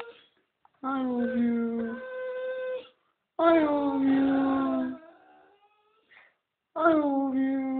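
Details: Staffordshire Bull Terrier Tyson vocalising 'I love you' inside a small room: three sustained, tonal, howl-like moans about one to one and a half seconds each, wavering in pitch, separated by brief silences.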